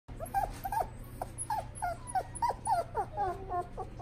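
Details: Shiba Inu puppy in a pet shop whimpering: a string of short high whines, each bending down at the end, repeated about three times a second with a steady low hum underneath.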